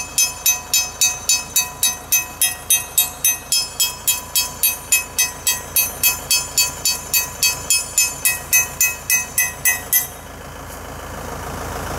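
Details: Sharp metallic clangs are struck about three times a second for ten seconds, then stop, leaving a quiet background with no animal sound.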